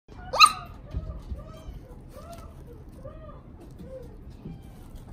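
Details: Pembroke Welsh Corgi at a pet shop in Odawara, Japan: one sharp, high yelp, followed by a run of soft, arched whining tones repeated about every half second, in a quiet room.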